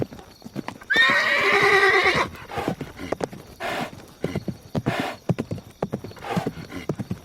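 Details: A horse gives a high, quavering whinny of just over a second, falling slightly in pitch, then snorts and breathy puffs against the steady clatter of hooves on a hard surface.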